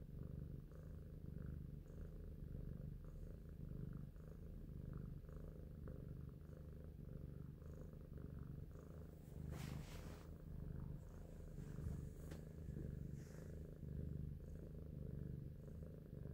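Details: Big Shoes, a domestic cat, purrs steadily while thinking, a low continuous rumble with rhythmic pulses and a few brief higher rustles near the middle.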